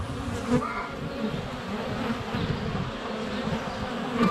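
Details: Honey bees swarming in flight around a hive entrance on a sunny February day, filmed under a foot away on a GoPro Hero 7 Black; a dense, steady low hum of many wingbeats with brief louder passes as bees fly close.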